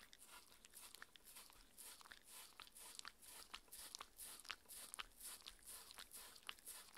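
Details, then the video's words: Six-year-old Shetland Sheepdog Mindy chews a raw beef patty dinner indoors. Sharp, crisp bites and smacking crunches come in quick irregular bursts, roughly two per second, with no speech and a hushed room behind. "ASMR Dog eating Sounds Raw food diet"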